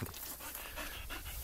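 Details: A Labrador Retriever panting: quick, breathy bursts of noise repeat about three times a second, steady and unbroken, with a low background hum.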